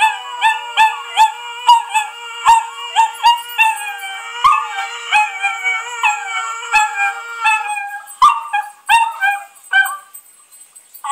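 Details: Puppies howl along to singing. Choppy, pulsing howls repeat about once per second, their pitch wobbling up and down, over a low held tone. Toward the end they break into shorter yelps and whimpers.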